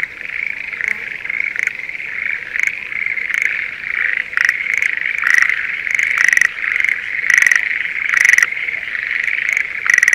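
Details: Spring chorus of Schlegel's green tree frogs in rice paddies near Sendai, Japan, during the breeding season: dense, overlapping trilling, with a nearer frog's rattling bursts standing out toward the end.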